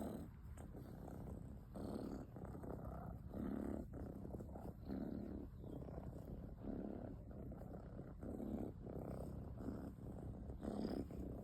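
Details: Kitten asleep and snoring, making a soft grumbling rattle on each breath. The breaths repeat at an even, unhurried pace of around one to one and a half seconds, with nothing else clearly audible.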